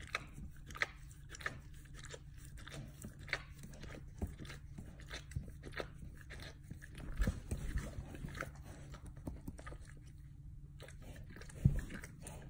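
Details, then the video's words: Indoors, a dog gnaws and licks at its hindquarters, giving sharp crunchy bites and wet clicks in uneven bursts, a loud snap near the end, all over a constant low electrical hum. "Dog Chewing and Licking his Bunghole ASMR sounds"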